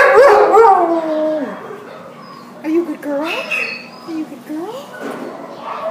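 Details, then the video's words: Border Collie Husky mix dog at the pound, December 27, 2014, wailing: long wavering howls sliding downward, then shorter rising yelps after a pause, with a faint steady hum behind. "Border Collie Husky at the pound WAILING"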